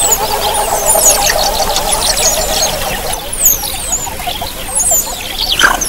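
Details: Several Javan mongooses calling as a group, giving many quick high squeaky descending squeals in loose bursts, densest in the first seconds, with a faint steady hum and rustling noise beneath.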